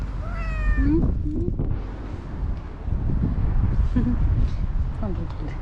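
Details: Orange stray cat making coquettish sounds when it sees its feeder: a clear harmonic meow at the start, then short chirping mews, with people talking and street noise around.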